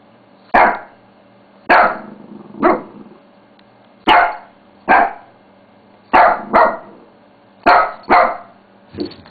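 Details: Bella, a pet Shih Tzu, barking while playing with a mouse pad indoors; ten sharp barks, some doubled, spaced about one second apart, over a steady low electrical hum.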